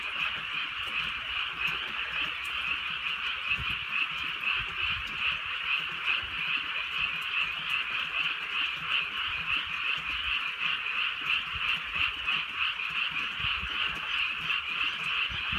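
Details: Countryside frog chorus during light night rain, many frogs croaking at once in a continuous pulsing trill, high and buzzy, rising and falling slightly in waves, with faint raindrop ticks in the background.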